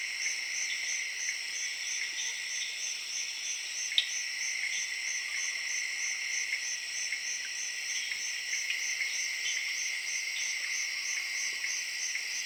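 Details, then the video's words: Late-evening jungle chorus in Zaire, crickets chirping together with tree frogs: continuous high-pitched ringing trills layered in several bands, one rapidly pulsing, with scattered faint chirps and a single sharp tap. "Jungle Serenade:Tree Frogs & Crickets of Zaire in Late Evening"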